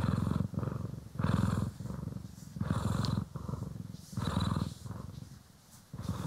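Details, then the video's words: Close stereo purr from domestic cat Poki or Kiwi as it is brushed and groomed; continuous low vibrating purr in rising and falling waves roughly each second, faint brushing rustle. "CAT ASMR | Purring, Grooming & Brushing"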